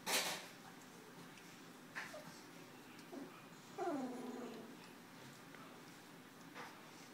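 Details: Nearly two-week-old puppies from a Tucker x Libby litter, eyes starting to open, in January 2012: a drawn-out falling whine in the middle, with a few soft squeaks and light knocks around it, indoors.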